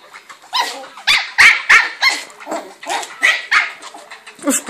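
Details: West Highland White Terrier barking angrily in a rapid, fairly steady series of harsh, sharp barks, roughly three per second, with a person's voice faintly mixed in.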